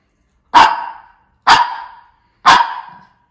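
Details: Shih Tzu giving three loud, sharp barks, evenly spaced about one second apart, each cut off cleanly with quiet between.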